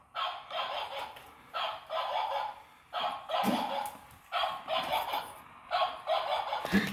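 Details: Pet pug at play, scolded for biting; harsh, noisy grunting bursts recur in uneven runs throughout, each lasting under a second, with short quiet gaps and a faint click near the end.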